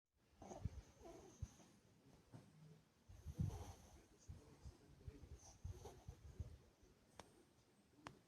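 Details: A mini Chihuahua snoring in its sleep: soft, low, rasping snores come in uneven bursts, one louder breath near the middle, over a faint steady hiss.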